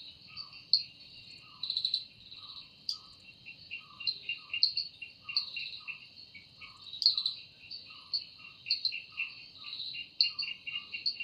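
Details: Evening forest insect chorus credited to a cicada: a continuous high-pitched ringing whine with rapid ticking pulses beneath, while soft lower chirps repeat about every half second in the background.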